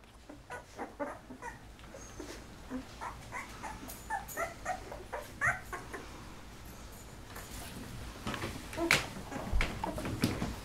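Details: Golden Retriever litter of eleven puppies at 13 days old, eyes just opening; soft whimpers and squeaks at irregular intervals, overlapping, with low background hum and some handling noise.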